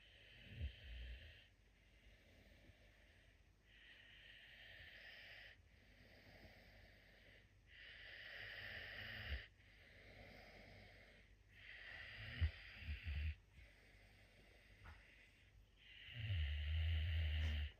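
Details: Sleeping puma Messi snoring loudly, a steady series of hoarse, breathy rasps about every two seconds with a low rumble underneath, ending in a stronger, louder snore.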